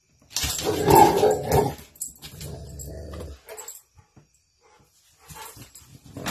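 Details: Rottweiler letting out a loud, rough, drawn-out growling bark, followed by quieter throaty rumbles and short snorts, then a fresh growl beginning at the end.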